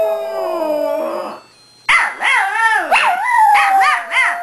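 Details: Two pet Shih Tzus, Maggie and Molly, howling to Christmas music; a steady sustained howl fades out, then after a brief gap comes a loud run of wavering, rising-and-falling yips and howls.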